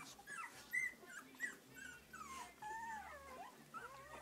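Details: Three-week-old English Cocker Spaniel puppies from a litter, whining indoors: high, thin squeals that arch and slide up and down, several short cries overlapping, with soft rustling below.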